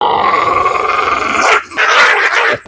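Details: Dog growling continuously with a rough, rasping tone, the snarl steady for about a second and a half before breaking, then resuming in harsher bursts.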